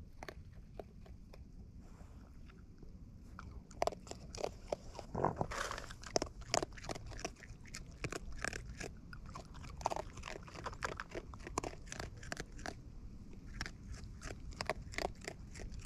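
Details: Raccoons in the wild feeding close up: steady crisp crunching and smacking bites, with dense irregular clicks that grow busier midway and continue throughout over a quiet outdoor background.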